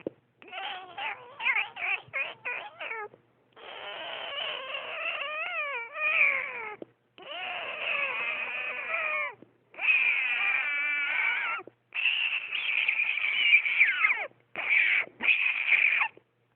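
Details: Cat described as disturbed, though its identity is uncertain: a series of long, harmonic, wavering yowls with quivering pitch, delivered in bouts of one to three seconds separated by short silences, with some short choppy cries at the start.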